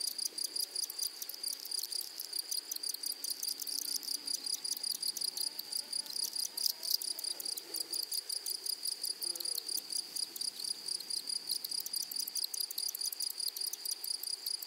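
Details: Rapid high ticking pulses from grasshoppers run over a shrill steady tone in a flowery meadow. The pulsing is fast and even, and faint low murmurs surface briefly near the middle.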